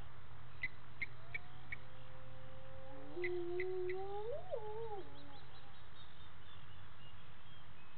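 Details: Hyenas calling at dusk, 18:30 on 10/11/18, at the Gowrie dam waterhole in Djuma Game Reserve, Sabi Sand, South Africa; a long rising whoop overlaps fainter drawn-out tones, dropping away after two seconds amid soft clicking insects.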